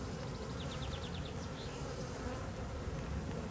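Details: Dense low buzzing of honey bees in a drone-laying hive during frame inspection, with a quick series of high chirping bird notes early on over the continuous hum.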